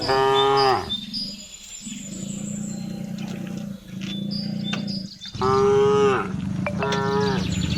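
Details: Cattle kept by a herding child in a remote village, driven home at dusk-time afternoon, calling to the herd: a loud moo opening the recording and another near the end, a steady low rumbling hum between them.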